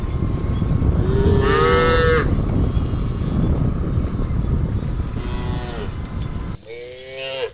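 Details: Cows being herded towards the farm pen in the morning: a steady low rumbling background, with three separate moos at intervals, each a few seconds apart, and the last one clearer and louder as the noise drops away.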